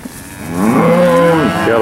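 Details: Auction steer from a load out of Wicksburg, Alabama, 8 August 2013: a single swelling moo that rises, then holds a strong sustained tone to the end.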